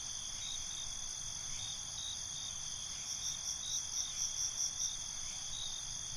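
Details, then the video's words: Night chorus of crickets, a continuous shrill high trill layered with a gently pulsing chirp sequence around the middle, low rumble faint underneath. "Night ambience, Cricket Conversations"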